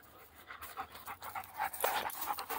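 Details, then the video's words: Dogs at play, panting heavily in quick, breathy bursts roughly every few tenths of a second, with soft rustling movement throughout and no barking. "Dogs playing"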